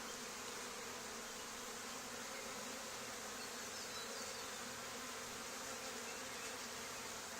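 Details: Honey bees of a swarm flying around and landing during collection at an old barn, where a hive had been cut out two days before. Even, hissing, broadband buzz of many wings, steady without pauses for over seven seconds.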